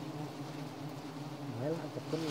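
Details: Droning hum of a giant honey bee colony (Apis dorsata) as honey is harvested: a continuous low, even buzz with stacked tones, and a man's voice rising briefly near the end.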